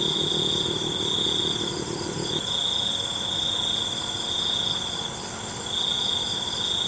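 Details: Crickets at night give bright, steady high trills in long bursts with short gaps, over a dense, shimmering insect chorus. A low, rough rumble fills the first two seconds, then fades.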